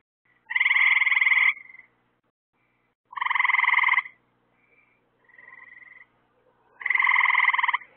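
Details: A nighttime frog chorus beside lights put up to lure bugs for the frogs. Three strong, rapid buzzing trills about a second long come with quieter, softer trills from farther callers in the gaps.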